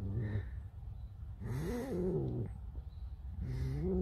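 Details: Alice, a pet fox, whining in a complaining mood: nasal, wavering whines that rise and fall in pitch, one long bent whine in the middle and shorter ones at start and end, over low room hum.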